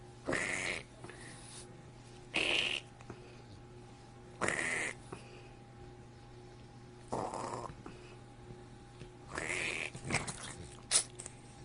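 A French Bulldog gives short, raspy snorting grunts, roughly every two to three seconds.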